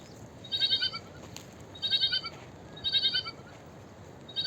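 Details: A small sheep gives repeated high, wavering bleats, four tremulous calls roughly a second apart, each with a fluttering pulse, against constant low hiss.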